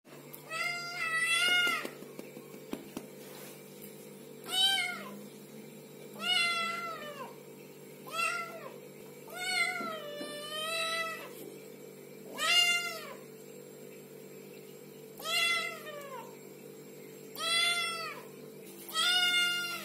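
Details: Little kittens meowing repeatedly, high harmonic-rich mews rising then falling, about ten calls spaced one to two seconds apart, with a steady low hum underneath.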